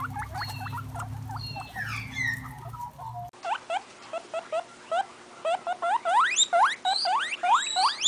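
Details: Guinea pig calls: short, soft squeaking notes over a low hum, then an abrupt change to a clearer run of rising whistled squeaks that grow longer, higher and louder toward the end.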